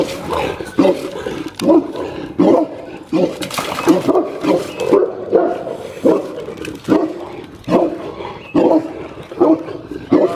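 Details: Boerboel dogs on a visit to a breeder, barking in a loud, deep, broadband series of repeated barks, roughly one every second, with brief pauses between bursts.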